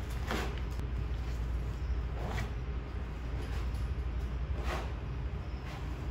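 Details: Niko, a sloth bear at the zoo, feeding on termites, blowing dirt and debris away before sucking up the exposed insects: three breathy, hissing puffs about two seconds apart over a steady low rumble.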